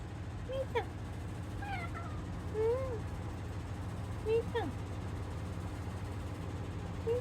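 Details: Indoor domestic cats from a home with Munchkin, short-legged Munchkin, Abyssinian and tabby cats, going about their daily routine on 29 April 2026: about five short, clear meows, each rising then falling, spaced unevenly over a steady low hum.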